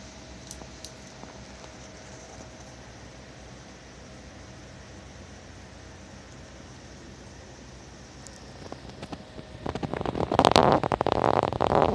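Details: Steady indoor hum from a fan or motor, then loud rustling and patter in the last two seconds; no animal calls.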